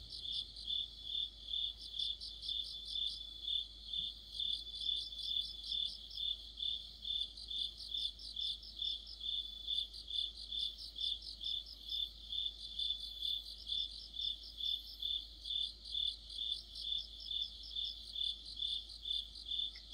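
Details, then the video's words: Crickets with other insects in a deep-autumn night chorus near a streetlight; regular high chirps repeat about twice a second while rapid trilled phrases rise and fade above them, background otherwise quiet. "가을의 한 복판 곤충들의 합창"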